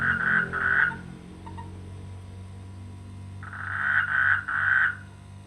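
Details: Frogs in rainy-season rice fields by a village, giving short rasping croaks in two bursts at the start and three near the end, separated by a quiet stretch filled with low humming tones.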